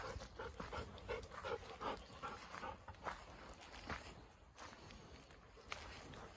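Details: Elderly Golden Retriever on a walk, heading out of a hinoki cypress wood toward a field, breathing in quick, rhythmic pants, roughly two to three breaths a second, with rustling steps on the forest floor underneath.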